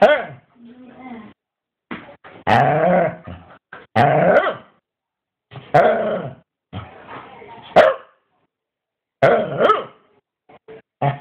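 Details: Scottish Terrier 'talking', complaining about a lack of biscuits: a run of harmonic, moaning grumbles and yowls in uneven bursts about a second apart, rising and falling in pitch, with brief gaps of silence between.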